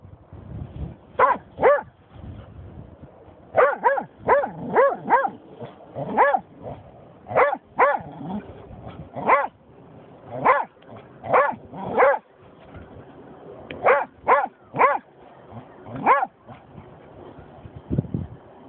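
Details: German Shorthaired Pointer barking after finding a dead seagull: loud, sharp, harmonic barks in quick clusters of two to four, separated by short pauses, with a few softer grunts in between.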